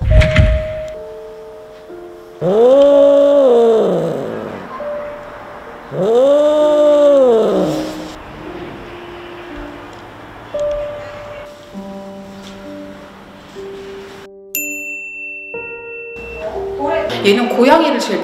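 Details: Danpoong, a lonely stray cat from Korea's Animal Farm who is cared for by many neighbourhood caretakers, meowing to play and have the door opened: two long, arching, drawn-out meows a few seconds apart over background music.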